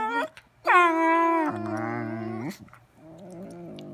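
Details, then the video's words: Dogs singing, giving long steady harmonic howls: a short tone, a pause, then a loud held note that drops abruptly to a lower held note for a second, followed by a quieter, wavering tone at the end. "Singing doggies"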